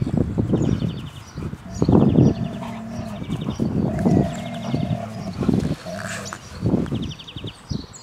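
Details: Airedale Terriers Nelson and Toby, father and son, from Insel Rott, trading low growls and rising, whining moans in repeated bursts, while small birds chirp in short trills in the background.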